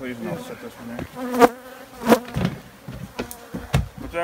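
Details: Loud buzzing of honey bees near the microphone, several sharp swells of sound rising over a steady droning hum.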